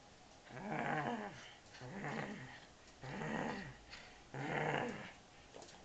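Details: Henry, a Labrador Retriever from Serbia, growls in four throaty, rumbling bouts of about a second each, separated by short pauses. The bouts are steady and low-pitched, with a rough, rasping edge.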